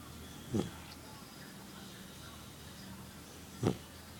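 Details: Small puppy snoring in its sleep: two brief rough snorts about three seconds apart, with a faint background hum in between.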